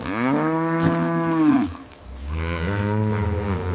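A cow gives two long, low moos, each about one and a half seconds, with a rich droning tone and a brief pause between them.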